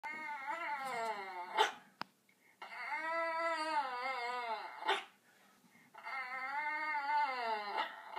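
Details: Yorkshire terrier indoors crying because it wants to get up on a chair: three long wavering whines with rich stacked harmonics, each about one to two seconds, separated by short pauses and a click.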